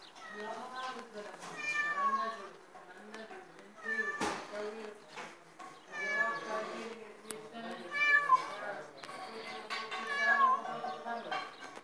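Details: Domestic cat meowing repeatedly, drawn-out harmonic meows rising and falling in pitch, coming roughly every two seconds, with human voices and music in the background.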